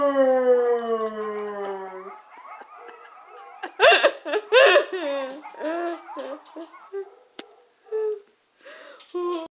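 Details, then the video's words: Two-year-old English springer spaniel howling indoors in response to a played recording of coyotes: a long, sliding, tonal howl falling in pitch, then shorter wavering yelps and whines, with some background noise. "Howling At a Video Of Coyotes"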